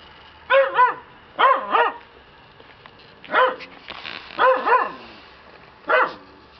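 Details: Black Shiba Inu puppy, male; high yappy barks in clusters of one to three, five bursts over about seven seconds, each with a bending, wavering pitch, in a quiet setting.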